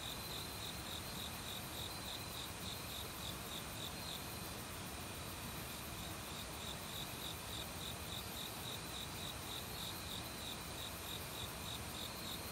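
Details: High, rapidly repeated cricket chirps from an autumn forest, where the insects began calling a week before, joined by other bugs. The even pulsing runs throughout beneath a broad hiss of flowing stream water.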